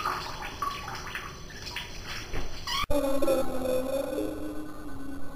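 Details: Pet cat taking a bath: after splashing water and a sharp knock, a long, steady, mournful yowl holds one low pitch. Faint dripping and room echo sit underneath.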